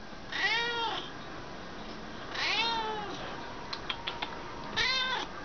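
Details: Indoor cat among several waiting for dinner while being told to sit, giving three drawn-out meows about two seconds apart, each rising then falling, with soft clicks and a person's voice nearby.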